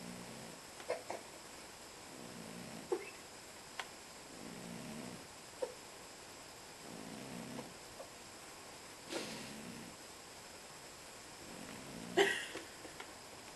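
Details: Domestic cat snoring in its sleep, soft rasping breaths recurring about every two seconds in a steady rhythm, with scattered small clicks and a brief noisy rustle near the end against a quiet indoor background.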